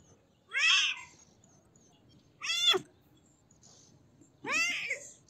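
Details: Kitten meowing: three high, harmonic-rich meows, each rising then falling in an arch, spaced about two seconds apart over a quiet background.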